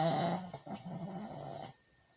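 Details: Pet dog named 트리 (Tree) snoring while asleep indoors, loud enough to wake its owner; a rough, buzzing snore with a tonal hum lasts about 1.7 seconds, then quiet room.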